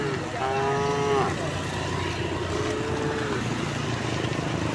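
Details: Cows of a herd returning home through a village on a bright morning. One clear, sustained moo is followed by a fainter, softer moo, with a steady low rumble underneath.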